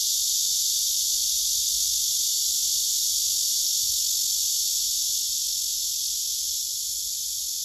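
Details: Singing male cicada on a tree among several others, recorded by phone: a dense, shrill continuous buzz with a fine rapid pulsing texture, easing slightly quieter toward the end.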